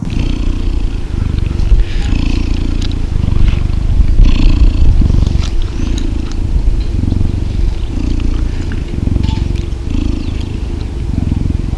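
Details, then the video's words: Loud, continuous low purr from a cuddling cheetah, a dense, throbbing rumble with slight swells in intensity, plus soft scattered clicks and rustling. "Cheetah Cuddling & Purring"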